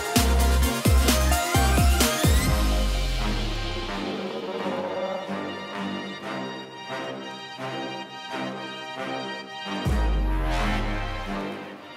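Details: Electronic dubstep-style music with heavy bass drops and pounding beats, and no animal sound heard.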